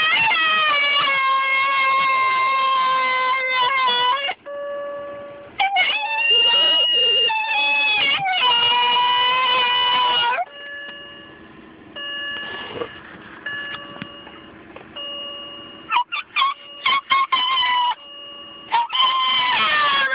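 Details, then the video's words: Winter, a white Miniature Schnauzer female almost 2 years old, sings in response to the car door's ding: long, wavering, high harmonic howls for about ten seconds, then quieter steady tones and short broken yelps. "Winter the Singing White Miniature Schnauzer"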